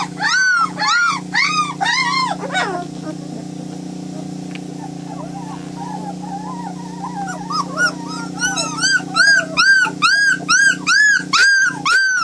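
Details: White German Shepherd puppies: a burst of high arched whines, then a quieter stretch of soft wavering cries, building again to loud rhythmic whines about twice a second, over a steady low hum.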